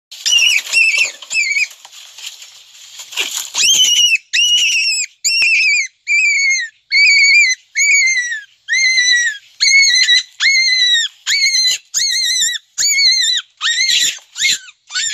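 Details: Big adult black rabbit screaming in a garden, startled: after a hissy, rustling opening, a run of about fourteen shrill, high-pitched squeals, each a short level wail with a falling end, repeated roughly once a second.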